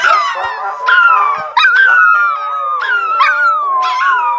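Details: Siberian huskies howling while playing at home, long wavering howls sliding down in pitch with rising yelps every second or so, several voices overlapping; a person's voice briefly nearby.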